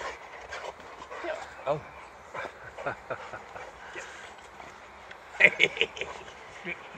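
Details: Boxer Rex at a happy reunion, greeting his old friend Anders a year after they first met; excited whimpering breaks into a sharp, bright yelp burst near the end, under steady Swedish conversation from people nearby.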